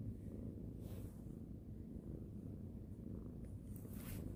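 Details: Domestic cat being stroked and petted before sleep, purring in a steady, continuous low rumble that runs unbroken from start to finish, with a few soft rustles of handling on top.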